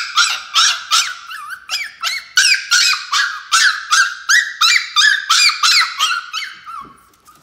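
A Chihuahua puppy howls in short, high-pitched squeals, about three each second, each one sliding up and then breaking. The thin, piping notes stay steady in pitch and fade out at the end.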